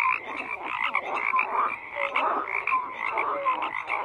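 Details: A frog chorus in full swing: many croaking callers overlap, with rapid pulsed rattles and brief clear whistle-like notes rising above a steady dense din.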